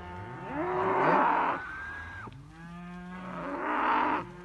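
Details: Group of Simmental calves, heifers and bull calves: two loud drawn-out moos about three seconds apart, with a thinner bending call from another calf between them.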